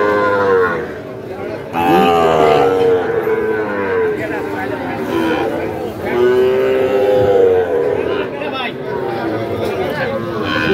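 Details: Sahiwal bulls and calves being fattened, at Ambari cattle market in Dinajpur on 18 September 2023: two long, drawn-out harmonic moos, each slightly arched in pitch and lasting a second or more, over steady crowd chatter.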